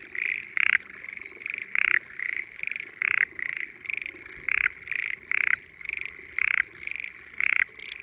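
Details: Hidden frogs singing in still-water spring rice fields beside gentle hills in Japan; steady trilling chorus punctuated by loud, short croaking bursts roughly once a second, several animals overlapping.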